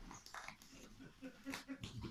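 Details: A female Rottweiler gives short, gruff yelps and growly barks in quick bursts while playing with a Santa Claus toy, as a man speaks Italian nearby.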